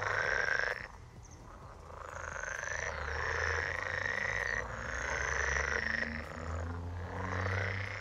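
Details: Frog croaking in a steady, rapid series of rough, throaty pulses, several per second, rising and falling in loudness in waves, over a faint constant high tone.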